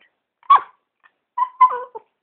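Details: Pet dog talking to its owner, one short yip followed by a drawn-out, wavering whine-like vocalization with a falling end, between a person's prompts.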